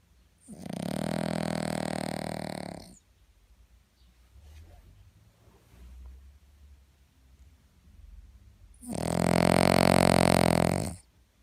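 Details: Cavalier King Charles Spaniel snoring loudly: two long, rasping, buzzy snores of about two and a half seconds each, roughly eight seconds apart, with faint soft breathing in the gap.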